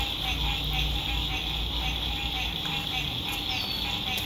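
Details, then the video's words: Spring 2021 sunset beside a lake, frogs calling from an RV campsite; an unbroken high buzzing trill of many callers runs throughout, layered over low droning road noise. "Sunset Frog Songs"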